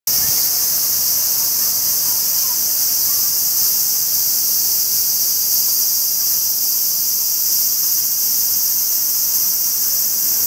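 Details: Cicadas calling in trees along the Path of Philosophy in Kyoto, Japan, in summer: a loud, unbroken, hissing high-pitched drone that holds steady throughout.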